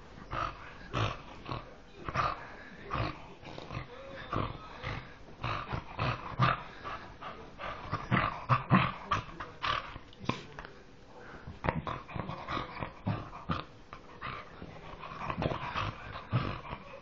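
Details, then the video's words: A dog whose voice resembles a pig, giving a long run of short, rough, snorting grunts and growls in quick irregular bursts, with louder clusters every second or so and faint room noise behind. "dog sounds like a pig"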